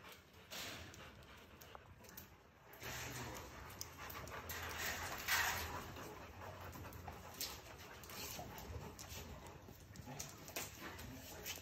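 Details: A Rottweiler, possibly a puppy, pants in quick, breathy bursts, with a few soft whimpers.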